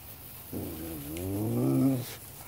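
A Basenji gives a low, drawn-out, wavering moan lasting about one and a half seconds.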